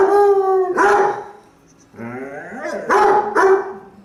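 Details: Basset Hound giving a long, held bay, then a falling, howl-like drawn note, followed by two sharp, ringing barks near the end.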